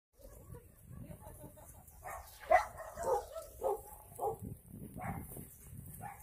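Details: Dogs at the Yangsan abandoned animal shelter in South Korea, recorded during volunteer work. A series of short barks starts around two and a half seconds and repeats about every half second at moderate distance, over a low background murmur.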